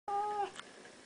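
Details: Siamese cat kept indoors as a pet, one of a blue point and seal point pair living together for eight years, giving a short steady meow about half a second long while its owner says hello.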